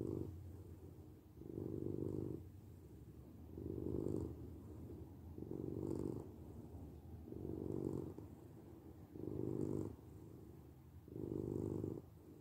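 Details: Purring domestic cat, a relaxing sleep recording: six or seven swelling rumbles, each roughly a second long, separated by softer low purring, a slow breathing rhythm of about one cycle every two seconds.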